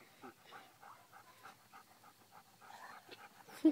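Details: During a game of fetch a golden retriever, pestered by another dog, pants in short, even, breathy bursts roughly every third of a second, with a brief voice at the end.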